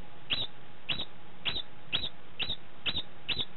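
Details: Degu vocalizing just after mating, giving a steady run of brief, bright, squeaky chirps about twice per second, each with a percussive click at the start; nothing else stands out.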